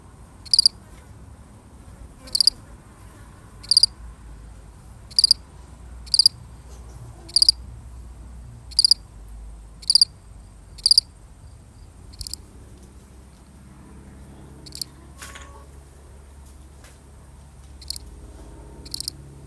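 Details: A single lonely cricket chirps in a real recording, crisp high pulses spaced over a second apart, steady at first, then fainter and more irregular toward the end over a low background hum.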